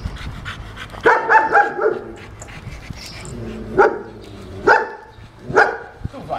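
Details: German Shepherd described as unmanageable, at its second training lesson: a quick cluster of sharp barks, then single loud barks roughly every second, with a person talking quietly in the background.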